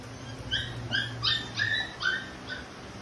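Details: Labrador Retriever dog being stubborn: about six short, high whining yelps, each slightly falling in pitch, spaced roughly every half second, over a low steady background hum.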